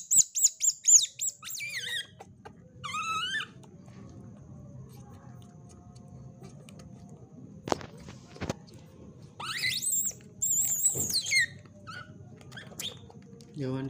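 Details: White-footed, white-tailed ringtail otter uttering bursts of piercing high chirps and wavering squeaks, a quick run at the start, then a pause with faint thumps before more squealing bursts near the end.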